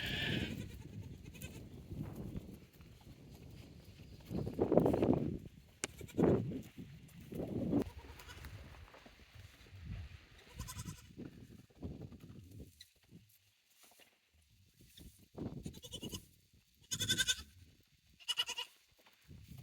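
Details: Goats on a handmade goat farm trying out their new playground on 9 May 2024. Several short harmonic bleats between four and eight seconds, with scattered thuds, rustling and a few faint higher calls later.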